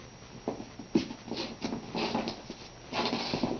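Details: Kinsey, a naughty Cairn Terrier puppy a little over four months old, gnaws on her dog bed indoors instead of her chew toys; soft crunching and rustling bites come in irregular bursts, growing denser toward the end.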